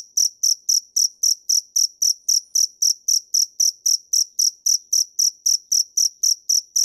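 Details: High, metallic chirps from a dế mèn cricket repeat in a tight, regular rhythm of about four per second, strong and clear against a silent background.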